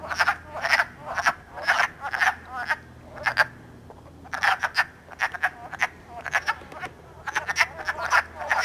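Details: Wood frogs in Elmer, New Jersey, calling and mating on March 3 in early spring, iPod recording; repeated short rasping croaks in clusters, several animals overlapping, with a short silence near four seconds.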